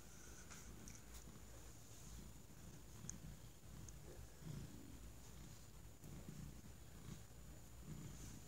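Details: Thunder, a domestic cat, resting contentedly on a folded argyle blanket; a quiet, low rumbling purr pulses steadily throughout, with a faint steady high electrical whine in the background.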